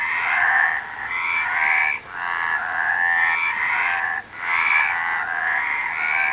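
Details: Nature sound recording of a frog, with grating croaks merging into long buzzing phrases broken by two short gaps and topped by thin rising squeaky tones.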